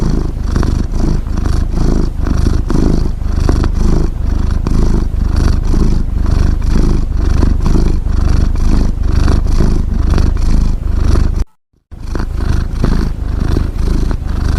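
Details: Snoring from a domestic cat: a sustained deep, buzzing rumble with steady rapid pulsing and soft rhythmic swells, interrupted once by a short silent break near the end.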